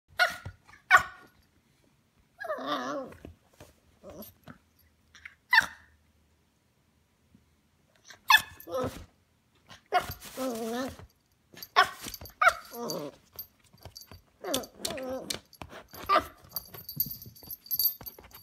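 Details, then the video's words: Young Pocket Beagle giving her first barks indoors: short sharp yaps mixed with wavering growly, whining calls in irregular bursts over eighteen seconds, with some clatter and background noise late on. "1st bark"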